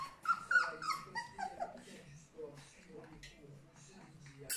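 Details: Three-week-old puppies from the litter of Charlotte and Magic give short, high, thin whines and whimpers in quick bursts, strongest in the first two seconds, while human voices murmur underneath in a small indoor room.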